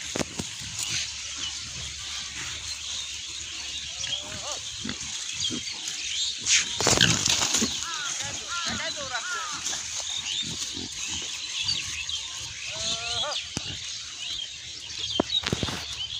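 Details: Farm pigs in Bangladesh: brief harmonic squeals come in quick clusters of three or four, with a loud noisy burst in between, against constant high-pitched ambient hiss and some voices.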